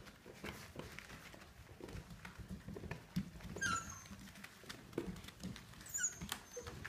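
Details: Samoyeds rumbling at play: a low, rough growling rumble with scuffling thumps and patter throughout, and a brief high whine rising and falling near the middle.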